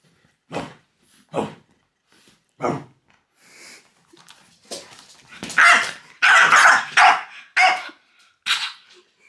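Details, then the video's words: French bulldog Loki barking as fingers are pointed at him, which he hates: sharp broadband barks, spaced at first, then a rapid louder burst of harsh barks and growly yaps toward the end. "WHAT POINTING FINGERS AT DOG CAN DO"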